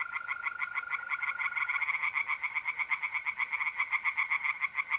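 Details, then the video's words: Several tree frogs in a pond, mid-April night, north-east Italy, calling at once. Their rapid rattling pulses overlap into a dense, continuous chorus, with a sustained mole cricket trill early on. "singing tree frogs in pond"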